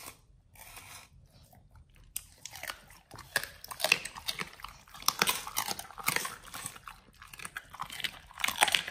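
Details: Pit Bulls eating raw beef trimmed chunks, quail eggs and duck wings: quiet opening seconds, then loud crisp crunching and tearing bites building to the end.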